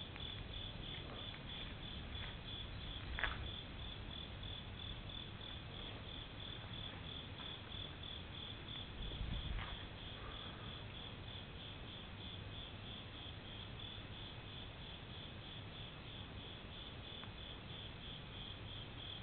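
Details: Insects at a Japanese temple on a summer night keep up a regular, high-pitched pulsed chirp near three per second, with a couple of brief knocks and a low rumble underneath.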